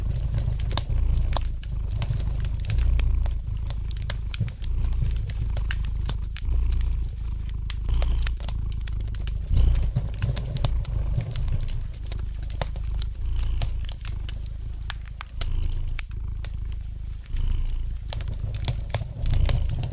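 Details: Twenty seconds of a pet cat's gentle purr by the fireplace, a steady deep hum rising and falling in regular breathing cycles, with light crackles from the flames throughout.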